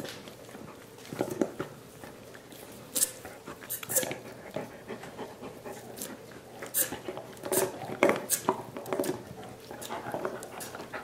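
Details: Five dogs gnawing soup bones as part of a dental hygiene program, indoors; wet slurping and licking noises in irregular bursts of sharp clicks, with a person's voice speaking now and then.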